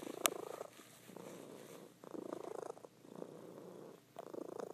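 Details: Loud purring from a female house cat while she sleeps; steady rumbling purr swelling and fading in breath-paced cycles roughly every second, with one sharp click near the start.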